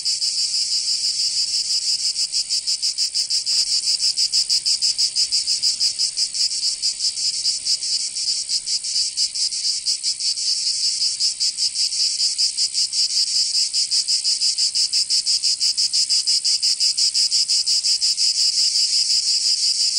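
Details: Cicadas singing in summer in Provence, southern France: a loud, shrill, steady buzzing chorus made of rapid pulses, high-pitched and unbroken throughout, with no other clear sounds.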